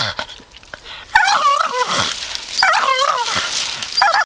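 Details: Grumpy Staffy: after a quiet second, a loud, wavering grumble with looping rises and falls, then a second moaning phrase and a short final yelp.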